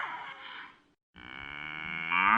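A cow gives a long, droning moo that swells louder toward its end.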